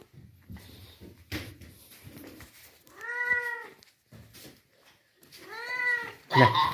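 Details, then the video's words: A wandering stray kitten, taken in and given milk, lets out two clear plaintive mews a few seconds apart, each arching up and down, amid soft indoor shuffling and a loud knock at the end. "બિલાડી નુ બચુ આયુ રખડતુ ભખડતુ અમે તેને સેવા કરી દૂધ પાયુ"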